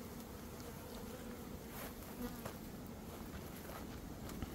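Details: A honey bee swarm in early May is being caught into a box by a beekeeper. A dense, continuous low buzz fills the recording, with faint scattered clicks and taps over the drone.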